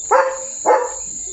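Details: Two sharp, full-throated barks roughly half a second apart from Leo, a pet German Shepherd, as someone at home is said to be approaching; a faint constant high-pitched hum persists in the background.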